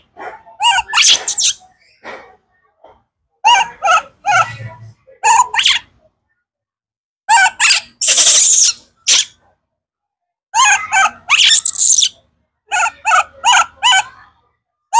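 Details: Kaka, a baby monkey hungry for fruit, screams in short bursts of harsh, wavering, high-pitched calls, with a few longer noisy shrieks, separated by brief silences.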